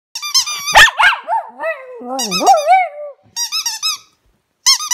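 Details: Pet dog singing in a small indoor room: high, wavering whines and squeaky yelps with bright harmonics, sliding up and down in short bursts, then a lower drawn-out moaning howl, broken by brief silences.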